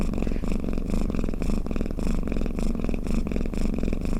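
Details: A cat snoring, its deep buzzing purr-like rumble rising and falling with each breath, roughly two swells per second, continuous and close.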